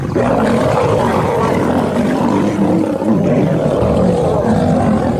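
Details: Lion of a pride, heard in a deep, rough, continuous growling roar that stays low and steady for about five seconds, with no pauses and no other clear sounds.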